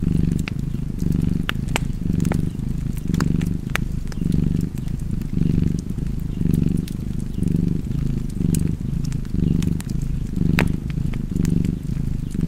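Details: Low, even cat purr with a rhythmic rise and fall at each inhale and exhale, about one cycle per second, set against a fireplace that crackles and pops intermittently.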